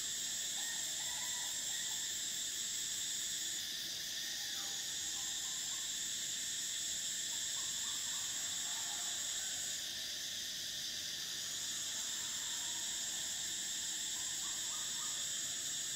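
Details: Cicadas in Thailand, near the River Kwai, sing a steady, shrill, high-pitched drone that holds almost unbroken throughout.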